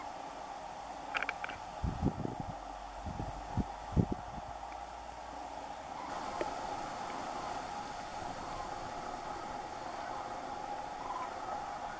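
Steady low rumble and hiss like distant traffic or wind, with a few dull thumps early on and no clear animal voice.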